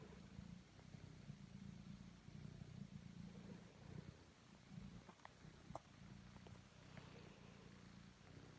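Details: Pet cat Totto kneading and purring; low throbbing purr in repeated breaths, briefly pausing near the middle, with a few faint clicks and taps.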